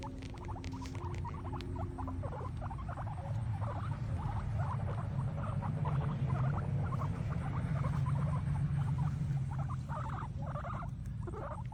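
Guinea pigs munching grass, a steady patter of quick crunchy clicks and rustles.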